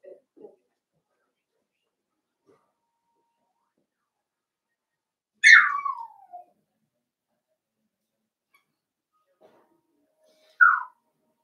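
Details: Blenheim Cavalier King Charles Spaniel puppies from a litter of five born at New Year, indoors in a puppy pen; two sharp high squeals sweeping downward, about five seconds apart, with near silence between and faint small noises.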